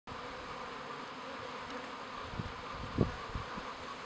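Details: Honey bees at a hive in an apiary at Guillestre in the Queyras, France: a steady, even hum runs throughout, with a few soft low knocks and one brief thud near the end.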